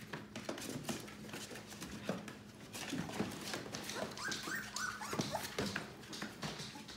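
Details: Litter of seven yellow Labrador Retriever puppies at 18 days old indoors, a few short arched whimpers in the middle among constant scratching, shuffling clicks and a low electrical hum.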